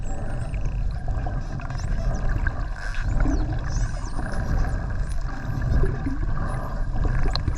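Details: Wild spinner dolphins heard underwater during a dolphin swim off the Ogasawara Islands on 26 December 2020: thin, high whistles sweeping up and down, faint above a loud, rumbling low-frequency wash of sea and boat noise.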